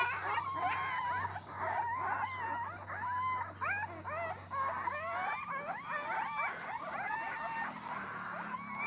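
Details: Mudhol Hound puppies, male and female, giving many overlapping whines and whimpers, short wavering cries repeated in quick succession and a few longer drawn-out squeals, with a low steady hum in the first half.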